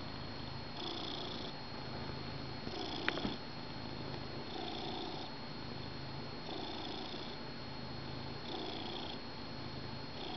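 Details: Indoors on the couch at morning coffee time, a pet cat lies on its beloved blanket purring continuously, the soft rumble pulsing with each in and out breath about every two seconds, one brief click partway through.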